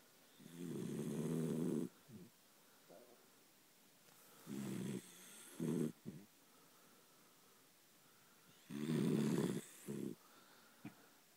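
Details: Sleeping Dachshund Delilah snores steadily: three long grating inhalations spaced roughly four seconds apart, each followed by one or two short snuffling snorts, in a small quiet room.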